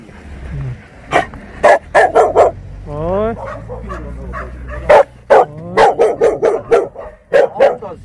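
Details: Jindo dog met on Jindo, Korea, barking in sharp, loud yelps. The barks come in quick bursts of two to four with brief gaps, and a drawn-out whining or voiced sound falls between the bursts.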